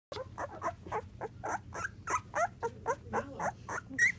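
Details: Nine-day-old Labrador Retriever puppy from a litter of five, born 12 September 2014 and bred for assistance-dog work, squeaking while crawling and tumbling indoors. Short squeaks come roughly every quarter second, some rising in pitch, over a low steady hum.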